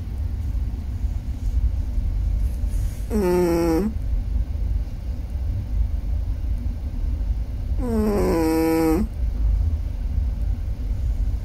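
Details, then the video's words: A Chihuahua dreaming while asleep and snoring: two drawn-out, whiny whimpers, each rising then falling, near the third and eighth seconds over a steady low rumbling background. "Chihuahua dreaming and snoring"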